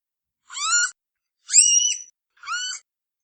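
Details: Red panda, Ailurus fulgens: three short, high, harmonic squealing calls, each rising and then bending, about a second apart, with clean silence between them and no other sounds.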